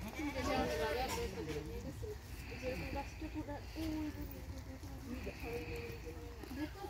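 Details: Goat bleating repeatedly, a series of wavering, quavering bleats in the mid range, several overlapping over low background rumble, with music faintly present.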